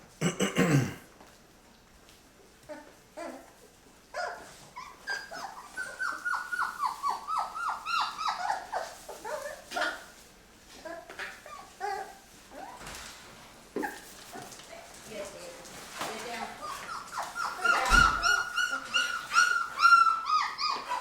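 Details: Labrador retriever puppies, Mocha's litter at day 23, crowding each other while eating puppy food for the first time; rapid high whines and squeals come in bursts, with a person talking and clatter indoors.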